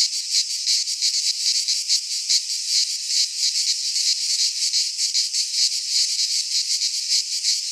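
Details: Cicadas in full midsummer song amid Greek pines, a piercing buzzy chorus beating in rapid, slightly uneven pulses, continuous and dominant with no birds or people heard.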